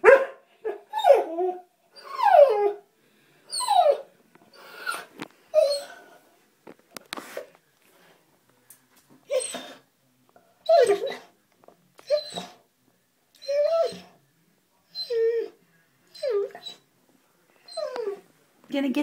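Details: A female springer spaniel whines and yips eagerly at a water bug spotted in the bathtub: a long run of short, downward-sliding yelps and squeaky cries, irregularly spaced, sometimes in quick pairs, with faint clicks between them.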